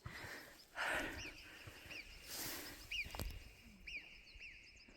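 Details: Alpine marmots give short, sharp, high whistles, repeated every second or so, heard on a steep mountain climb to the Roc Blanc in Ariège, over wind and a hiker's heavy breathing.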